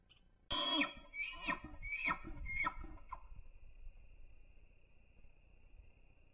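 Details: Bull elk in the Idaho rut on public land, recorded by a trail camera: a harsh opening bark followed by four or five coarse, harmonic chuckling grunts about half a second apart, fading into a faint steady tone.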